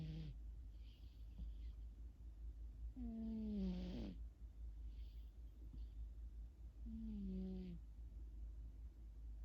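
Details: Sleeping pet cat, dreaming, gives two buzzy, humming snores about four seconds apart, with faint airy breaths in between and a steady low background drone.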